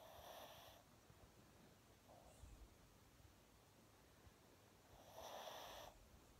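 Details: Kylo, a Pomchi dog in very deep sleep, looking awake while asleep, gives soft noisy snorting breaths: a broad burst at the start, a brief faint puff near two seconds, and a longer louder snort toward the end over quiet room hiss.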